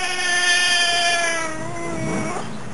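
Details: Talking back to its owner, Lassie the nine-to-ten-year-old Fox Terrier cross gives one long, sustained moaning whine that holds steady, sags slightly in pitch and fades out after about two seconds.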